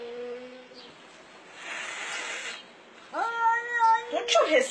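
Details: A cat yelling: faint, low, level tones at first, then a sudden loud, sustained yowl that breaks into a ragged, harsher cry near the end, with some background noise throughout.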